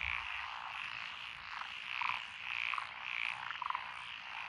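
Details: Lotus rice paddy frogs in Echizen, Fukui, Japan, June 2021, calling together: a rhythmic rising and falling chorus swelling every second or so, with short clicking croak bursts from a nearby frog.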